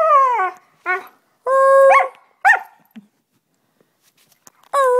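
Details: Husky named Delta howling and singing while encouraged by human vocal sounds, recorded 25 November 2010; drawn-out tonal howls with rich harmonics, some falling in pitch, others held steady, separated by short pauses, with brief yelps between.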